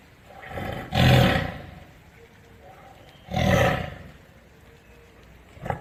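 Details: Tiger at feeding time, with an animal named Enzootjie called to go eat its food. Two deep, rasping roars about two and a half seconds apart, each swelling and fading over roughly a second.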